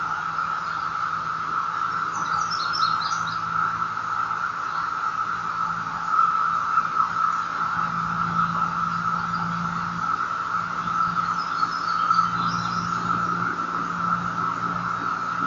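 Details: A steady, droning chorus of 17-year periodical cicadas (Magicicada) hums without pause in Madison, NC, on 16 May 2013, with a few faint bird chirps above.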